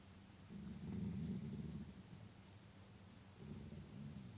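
A grey wolf gives a deep, rumbling growl in angry bursts, threatening another wolf until it flees.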